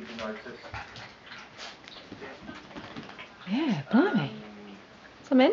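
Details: Miniature Schnauzers during a burst of zoomies; high, wavering whines rise and fall in arcs near the end, with quieter scuffling and low voices in an indoor room.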